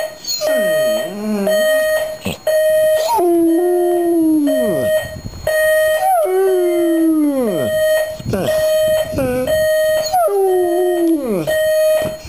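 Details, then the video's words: Dog howling to a ringing alarm clock at home: a series of long mournful howls, each sinking in pitch, repeated about every three seconds, alongside short whines and the continuous high alarm signal. "dog howling to alarm clock"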